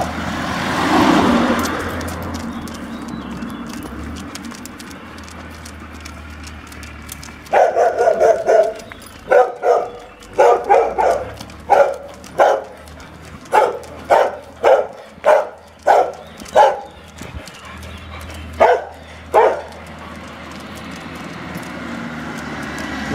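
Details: Weimaraner barking near Rovereto, Trento, one of an anxious pair, female Frida and her son Sauro, during dog training: a run of sharp barks from about seven seconds, spaced roughly every second, over traffic rumble and a voice.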